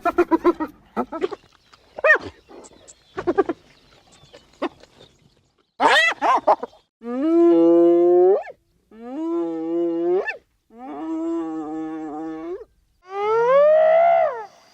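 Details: Hyena calls, said to carry over long distances and keep the group in touch: several short rising cries, then four drawn-out harmonic moans of about a second and a half each, separated by short silences.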